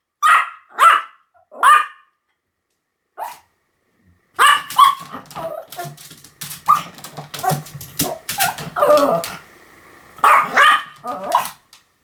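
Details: Pomeranian barking in short high-pitched yaps, a group of three, a lone bark, then a dense burst of overlapping barks and scuffling noises with a final pair of yaps.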